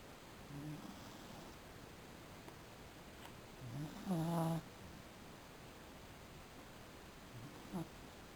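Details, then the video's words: Truckey, a pet Beagle, snoozing indoors during an afternoon nap that gets interrupted; low nasal snores with a buzzy harmonic stack, a short one early, a louder rasping one near the middle, and a faint final snort, over steady room hiss. "Snoring Beagle"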